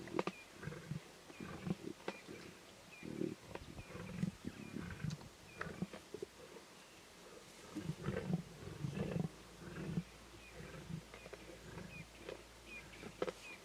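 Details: Wild lion cubs feeding on a zebra carcass in the Timbavati growl and snarl intensely; low, throaty grumbles rise and fall in short uneven bursts, several overlapping, with wet feeding sounds and occasional soft background chatter.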